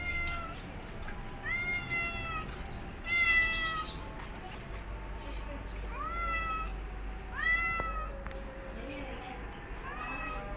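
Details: Kittens being taught to walk by their mother cat, meowing loudly: a series of high, harmonic-rich meows, some rising then falling, spaced about one to two seconds apart over steady low background hum.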